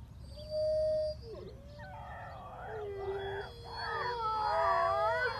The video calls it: Howl wolves howl howling